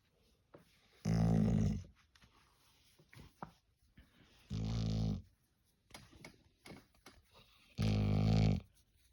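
A Golden Retriever makes deep, rumbling groans, three drawn-out moans spaced a few seconds apart.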